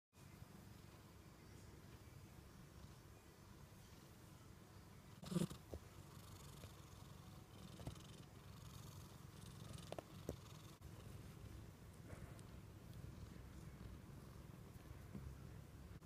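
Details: American Shorthair cat purring during an affectionate cuddle session indoors: a steady, low, rumbling purr pulsing continuously throughout, with one brief soft knock or rustle near the middle and faint small clicks later.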